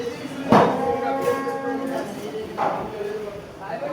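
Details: Large, strong bull being prepared for Qurbani sacrifice: a drawn-out, low, harmonic lowing lasting about a second and a half, amid a crowd of people talking and general noise.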